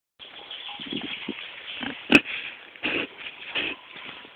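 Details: Pig grunting in short low bursts, several broken oinks spread across a few seconds with a brief sharp click midway, over steady background hiss.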